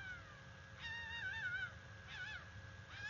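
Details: A female red fox gives a mating call, three hoarse, wavering screams about a second apart, over a steady low rumble and a faint constant tone; recorded at the NCTC bald eagle nest, 17 November 2021.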